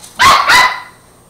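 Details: Border Terrier puppy fighting a broom gives two sharp, high-pitched barks in quick succession, the second trailing off into a short ringing tail.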